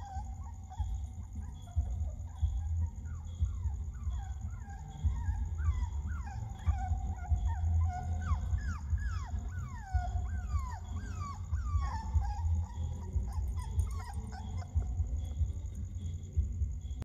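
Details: Puppy screams as a run of falling whines, each cry sliding quickly downward and repeated roughly every one to two seconds, set against a loud, continuous low hum and a steady high tone.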